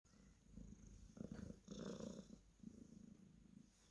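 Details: Cornish Rex cat purring while being petted: a low, steady rumbling purr with louder pulsing stretches in the middle, over a faint constant high hum.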